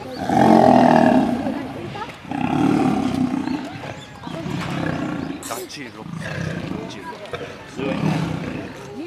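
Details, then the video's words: Male lion under attack by female lions, giving deep, rough roaring growls in four long bursts about two seconds apart, each swelling then fading, with snarls between them. "Male lion attacked by female lions"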